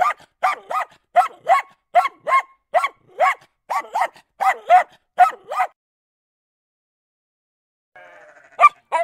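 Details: Steady, evenly spaced dog barks, roughly two per second for nearly six seconds, each with a slight upward inflection. After a pause comes a faint murmur, then two more barks.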